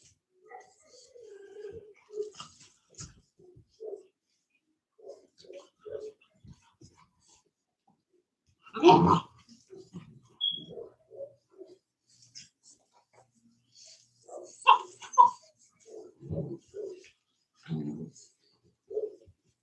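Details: Cane Corso, the Italian Mastiff, at a breeding kennel west of Nashville, Tennessee, giving low grumbles and short whines, with one loud broad bark-like burst midway and more clustered deep vocal bursts later.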